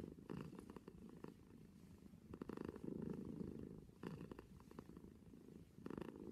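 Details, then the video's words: Cat purring right at the microphone, a low vibrating rumble that swells and fades in rhythmic breathing cycles about every one and a half to two seconds. "Cat purring compilation"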